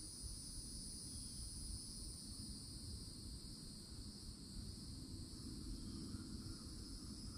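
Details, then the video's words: Continuous high-pitched cicada buzzing in a Florida forest-edge setting during summer, unvarying in rhythm, with a faint chirp late on and persistent low-frequency rumble of wind or distant vehicles. "CICADA SOUNDS"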